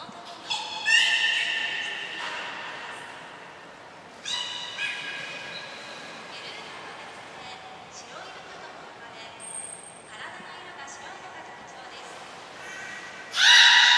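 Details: Training session with belugas Gray and Mirai at Port of Nagoya Public Aquarium, 15 June 2022: a series of harmonic whistles and squeaky tones, one brief high pure whistle, ending with a loud burst, echoing indoors.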